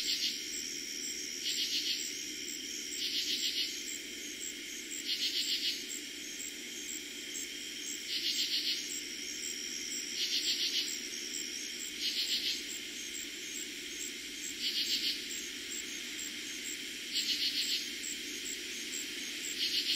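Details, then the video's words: Night chorus of katydids in eastern Pennsylvania, summer 2021: buzzy, pulsing bursts about half a second long, repeated somewhat unevenly about every two seconds, with a continuous thin cricket trill beneath. "Katydids and Crickets Sounds at night"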